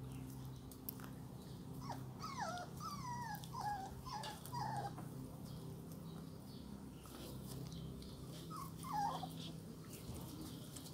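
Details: Dalmatian puppies drinking from a round water bowl outdoors, frightened by a sudden loud sound; a run of high, sharply descending whimpering yelps comes in quick succession, then a couple more after a pause, over a steady low hum.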